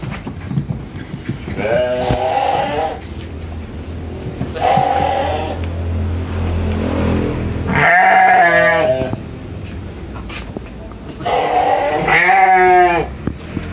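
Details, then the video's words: Tame sheep asking for food on a village farm in Indonesia: four bleats spread over the recording, two softer and lower, then two louder, strongly wavering ones, with steady low background hum. "Suara Domba Minta Makan"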